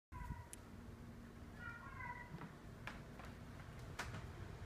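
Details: A female pet cat's weird meows, made when she is not being watched: two short, wavering meows, the second longer with a slight rise. Scattered clicks and a low indoor hum run behind them.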